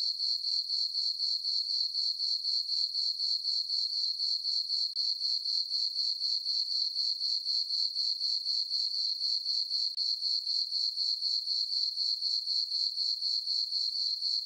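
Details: Crickets chirping on a summer night in a farm meadow under a full moon; a steady high, ringing trill pulsing about four times a second, unbroken and even, with no other sounds.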